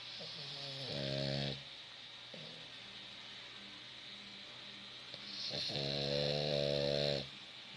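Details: A French Bulldog snores in two drawn-out, nasal, rasping breaths with a strongly harmonic buzzing tone, each lasting about a second and a half, separated by quieter breathing.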